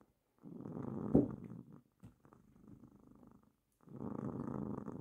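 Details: Female pet cat resting on a lap during work, purring in a low, rough, vibrating drone with a sharp click near the start, a softer, fainter stretch in the middle, then a return to full buzzy purring.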